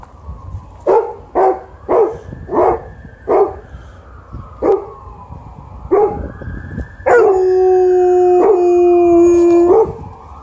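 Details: Alaskan Malamute and Golden Retriever vocalising together: a string of short, yowling barks about twice a second, then a long sustained howl with a brief break, over low background rumble.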